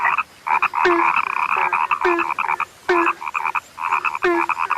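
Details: Overlapping frogs, called rare, croak in quick bursts: buzzy rattled trills stacked together, each group opened by a sharp click and a deeper short note, with brief quiet gaps between bursts.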